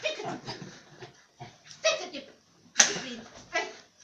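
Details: Bob the dog gives a few short, sharp yips and whimpering sounds spaced irregularly over several seconds, mixed with a person speaking Romanian in a playful tone.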